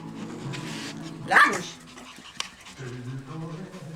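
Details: A single sharp bark from a Maltese or Yorkshire Terrier puppy in a Polish breeding kennel, cutting through a woman's Polish chatter to the dogs, with background music continuing underneath.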